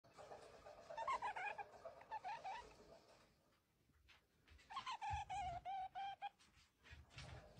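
A stoat gives quick, pulsed trilling chatters in two bursts while inviting play.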